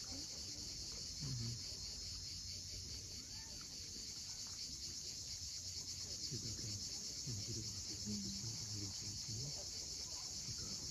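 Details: A sunset cicada chorus drones on the steep Crimean coast at Cape Fiolent, a steady high-pitched buzz without breaks. Faint short lower notes and the rumble of waves sound underneath.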